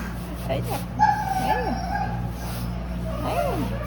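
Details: Abandoned Jindo dog, once rescued, meeting its rescuer again: short arched yelping whimpers rising and falling at about one and a half and three and a half seconds, under people talking and a steady music hum.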